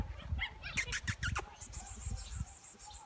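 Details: A Saluki puppy gives a few short, high, wavering whimpers in the first second and a half, then rhythmic tapping or clattering continues with a faint low murmur underneath.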